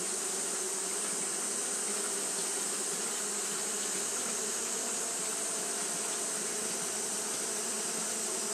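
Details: Japanese honey bees fanning nonstop during a hot day; a thick, uniform droning buzz, low hum plus airy hiss, holding the same level for the whole stretch without breaks.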